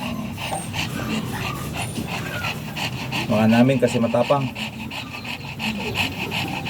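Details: Shih Tzu at a kennel house in Manaoag, Pangasinan, during a morning stud session; quick, breathy panting in a steady rhythm of about three breaths a second, with a man's voice talking over the middle stretch.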